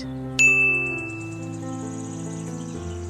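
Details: A bright bell-like chime rings out over sustained musical tones, with no animal voice heard.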